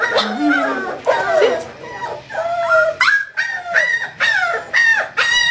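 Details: English Springer Spaniel puppy Kahlua, aged five weeks, of Star's fourth litter, recorded on 14 January 2012. Drawn-out whining howls open, then clipped, rising-falling squeaky yelps follow in quick succession.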